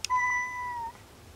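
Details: A sick male house cat named Kuri, lying under a desk at night and refusing food and catnip, lets out one clear, steady meow of almost a second. The meow tails off slightly at the end after a faint click.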